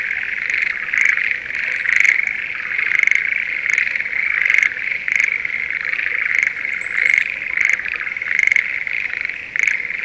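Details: Schlegel's green tree frogs calling in breeding season in a rice paddy near Sendai in spring. Steady buzzing chorus with frequent brief rattling pulses, plus a few thin, high bird chirps in the middle.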